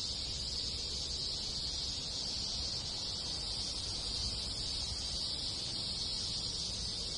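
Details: Japanese countryside village in summer alive with many cicadas and other insects, an unchanging high, hissing buzz held the whole time, with faint low background noise beneath.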